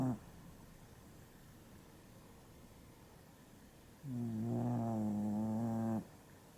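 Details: A tired dog sleeping soundly, unaware of the camera, lets out one drawn-out, tonal snore lasting about two seconds with a wavering buzzy pitch, after a stretch of quiet breathing and faint room hiss.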